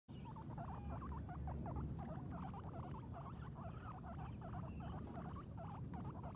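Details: Two female guinea pigs, Sheik and Penny, on their first time outside, exploring and eating grass; rapid runs of short mid-pitched chirpy notes repeated several times a second throughout, over low rustling and munching noise.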